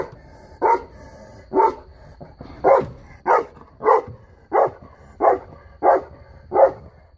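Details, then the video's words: Guarding female Saint Bernard aged three barks in a measured series of about ten deep, booming woofs, spaced evenly with brief silences between them and no other sounds. "Saint Bernard security guard"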